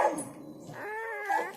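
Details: Newborn Indonesian village dog puppy (anak anjing kampung), one of a litter of four whose mother is nursing them. A single drawn-out whine rises and then holds steady for about a second, followed by a brief higher squeak at the end.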